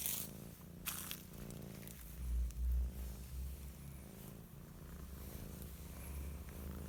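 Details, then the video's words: A kitty purring while sunbathing: a soft, low, steady rumbling throb with a few brief rustling bursts and a slight swell in loudness midway. "Cute Purring Kitty Enjoy Sunbathing"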